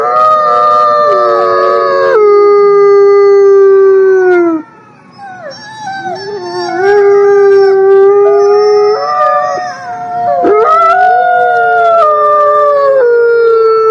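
Several wolves howl together in long, sustained tones that slide and overlap in a harmonious chorus.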